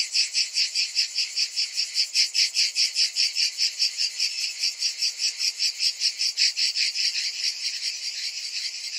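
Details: A chorus of cicadas on a hot summer afternoon: high, rasping pulses beating about two and a half per second, loud at first and softening slightly toward the end.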